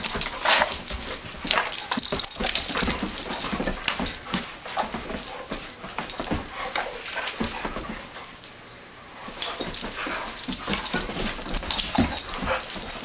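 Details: Two rescued Doberman Pinschers, aged two and nine, play fighting indoors on a Persian carpet; dense bursts of scuffling, growly vocal noise and thumps, with a brief quieter lull midway.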